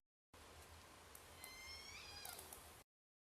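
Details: Endangered southern resident killer whales of J-pod, recorded on a hydrophone about 1 km away while a container ship passed 2 km off, with boat noise filtered out: a faint rising harmonic upsweep ending in a short downslur over steady hiss.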